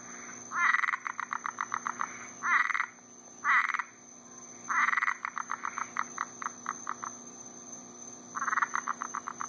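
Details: Summer night frogs in Florida after rain, croaking while mating: bursts of rapid buzzy trills and series of sharp, regular clicking notes overlap from several callers, with a constant high-pitched insect drone behind.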